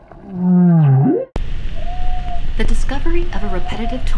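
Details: A humpback whale gives a low, moaning tonal note that dips and then sweeps sharply upward, followed by a person speaking; possibly a 2017 Colombian signal described as neither clearly song nor social call yet highly rhythmic.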